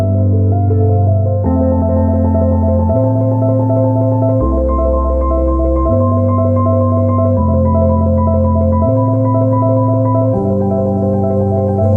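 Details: Bright marimba-style mallet music plays steadily throughout, with a repeating bass pattern and no animal sounds heard.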